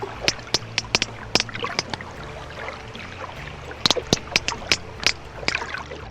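Sperm whale codas come as two rhythmic bursts of dry, sharp clicks over a faint low hum. Each group has its own coda patterns, thought to serve social bonding, learning and cooperative hunting.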